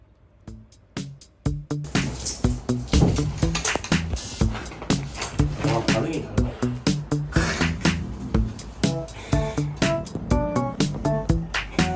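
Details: Bouncy funk-style background music with sharp percussive hits plays under occasional speech, and no animal sound is heard.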